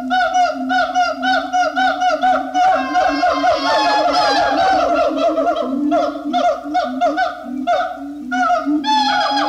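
Siamangs give loud, ringing whoops and barks in quick repeated bursts, with notes that slide up and down and overlap in a swelling chorus.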